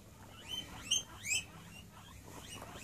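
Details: Domestic guinea pigs in a bigger cage, a new member moving into the herd and feeding time approaching: short, high, rising squeaks in quick succession, several within a second, over soft background rustle.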